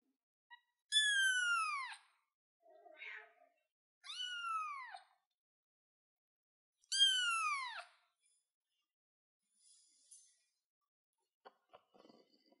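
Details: Baby cat on a chair meowing three times in a row. The calls are high, clear and curve downward. Softer, quieter squeaks and rustles are heard between and after them.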